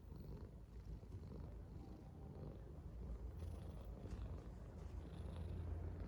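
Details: A yellow Korean Shorthair cat purrs happily, the low throbbing rumble holding steady and growing a little louder toward the end, close and unbroken.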